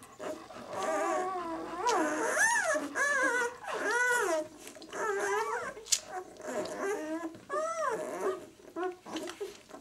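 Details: Newborn White German Shepherd puppies, six days old, B litter "of White Night": long wavering whines that bend up and down, strung nearly continuously, with a sharp click near six seconds and bedding rustle.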